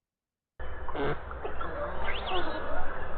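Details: A beluga, an Arctic whale, gives short squeaky whistles and rising chirps over a heavy low underwater rumble.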